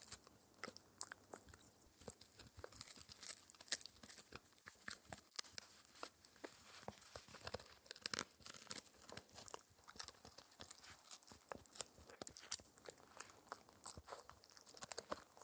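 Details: Spencer, a four-month-old Shetland Sheepdog puppy, gnaws an air-dried raw ear given as his daily dental treat indoors: dense crunching and tearing clicks, bursts of sharp crackles, steady without pauses, no talking.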